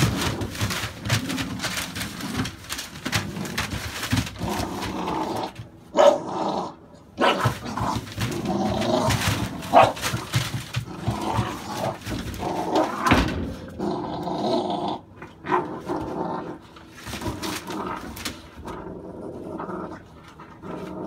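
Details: Dogs of the American Staffordshire Bully breed bark in a dense, overlapping stream, several voices at once, with occasional growly undertones and handling noise throughout.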